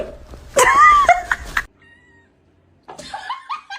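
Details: House cat letting out a loud, drawn-out, wailing meow that rises then falls, then after a brief quiet a string of shorter, stepped mews.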